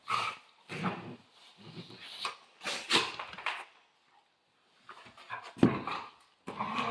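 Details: A playing Central Asian Shepherd Dog makes deep, rasping growl-barks in a quick series, goes quiet for about a second, then gives a sharp louder bark followed by more growling.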